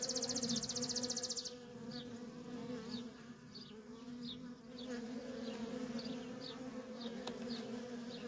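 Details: Constant low hum of worker honey bees at a feral colony, opening with a loud rapid pulsing insect trill, followed by a bird's short falling chirps repeated every half second over the drone.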